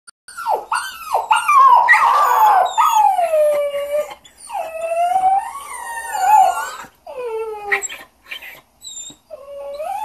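A basset hound mix gives drawn-out, quavering howls, each wail bending up and down in pitch. Shorter yipping notes and brief pauses break up the sequence.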